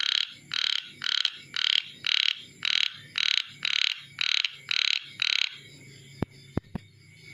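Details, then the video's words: Calling chubby frog: eleven grating, buzzy croaks in a steady series about two per second, then silence broken by a few sharp clicks and a low background hum. "Calling sound of Chubby Froggy / Chubby Froggy Calling Sound"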